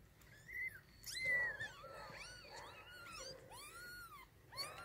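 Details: Newborn kittens in a wardrobe where their mother cat gave birth, calling in a busy overlapping chorus of thin, high, arched mews that rise and fall, several voices at once, indoors in a small room.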